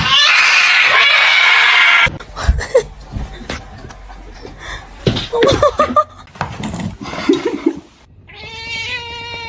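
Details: House cat letting out a harsh, noisy yowl for about two seconds, then people talking and laughing, ending with a clear, tonal meow.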